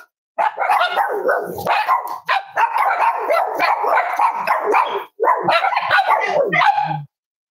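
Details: Cavalier King Charles Spaniel puppies snuggling at home on a warm Friday morning, raised as emotional support animals; nearly continuous harmonic yipping and whining barks in long runs broken by brief pauses, sounding in a small room.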